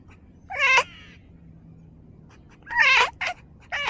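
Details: Domestic cat making small talk: two clear, drawn-out meows with strong harmonics about two seconds apart, followed by two shorter, clipped meows near the end, over a faint low hum.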